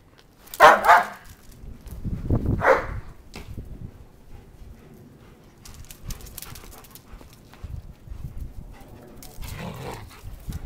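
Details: German Shepherd, one of two dogs playing fetch, giving two loud, sharp harmonic barks close together early on, then quieter whimpering sounds and a further bark near the end, with low rustling in the background.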